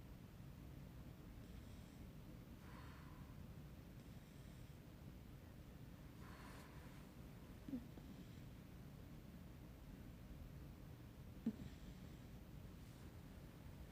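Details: Puppy asleep and snoring quietly, airy breath bursts returning every few seconds, with two faint clicks and a constant low background rumble.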